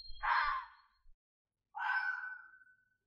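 A red fox gives two harsh, drawn-out screams, the second more tonal and trailing away.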